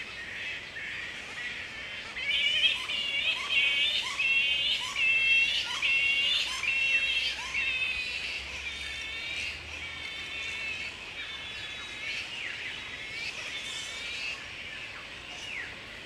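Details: Wild grey-headed flying foxes at a roost in Woodford, Australia, in mid-April at the peak of the breeding season, with mating pairs roosting together; harsh, nasal squawks with stacked harmonics come about once a second over a constant background of colony chatter.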